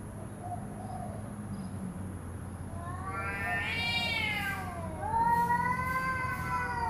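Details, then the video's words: Angry domestic cat, not fighting, giving a rising, strained yowl that swells in the middle and then a second sustained, slightly falling wail, with a low background hum throughout. "cat angry but no fighting"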